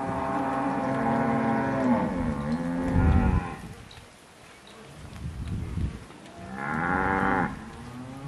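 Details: Cows in October 2023 lowing: a long harmonic moo that becomes harsher and ends in a low grunt, a quiet gap with faint shuffling, then another moo that rises and holds steady before fading.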